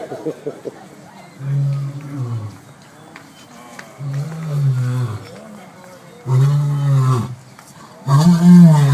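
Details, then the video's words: Male lion at San Diego Zoo roaring after a sneeze: deep grunting roars in bursts, each about a second long, growing louder toward the end, with a man's voice faintly in the background. "Scary Huge Lion Sneezes and Then Gives Out A Loud Roar"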